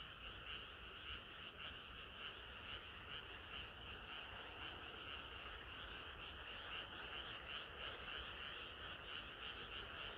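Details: Frog chorus on a sultry summer night, many callers croaking together; sharp high notes recur about twice per second over a steady, humming mass of lower calls.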